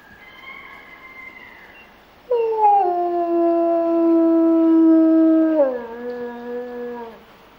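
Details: Grey wolf howling in a zoo enclosure where a pair is mating: a faint, higher distant howl first, then a loud, level howl for about three seconds that drops in pitch and trails off.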